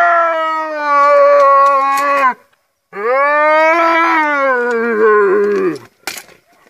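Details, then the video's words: A striped hyena gives two long, eerie moaning calls, the second sliding gradually downward in pitch; described as the terrifying sound striped hyenas make when hungry. "finally striped hyenas have a terrifying sound when they get hungry"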